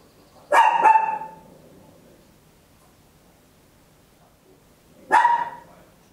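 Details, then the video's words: Small Papillon barking indoors at home, captured in stereo with an Olympus LS-11: a quick double bark, over four seconds of near silence, then another ringing, harmonic-rich bark. "Tiny Dog Barking Very Loud, Papillon"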